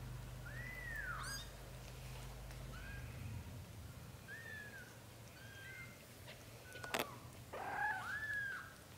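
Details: Lotus, a British Shorthair kitten of blue golden coat, stirs in a dream cradled by his mother while his brothers drink milk. Several short, arched mews come a second or so apart, with a sharp click near the end and a low hum early on.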